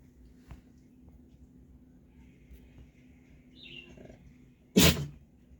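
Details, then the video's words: Pet dog sneezing once near the end, a sudden loud breathy burst, preceded by several seconds of quiet room noise, a low steady hum and a faint short squeak. "Dog Sneezing Video||Funny And Cute Sneezing Dog"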